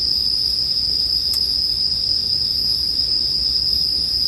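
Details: Bell cricket calls surrounding a campfire: an unbroken shrill high tone running throughout, interrupted only by one sharp crackle early on, over a low soft rumble.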